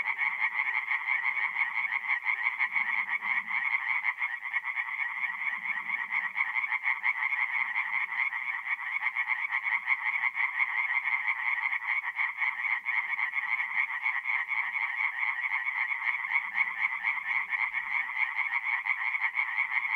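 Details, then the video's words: Singing tree frogs in an April night chorus at a forest pond in North-East Italy, unbroken rapid pulsing croaks from numerous frogs, occasional faint low croaks beneath. "relaxing forest pond by night with singing tree frogs"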